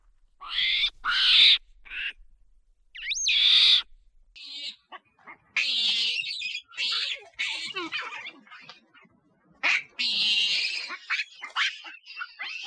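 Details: Loud monkey screams: two piercing rising shrieks with a pause between, then a fast, ragged string of harsh screeches and chatter, with brief silences.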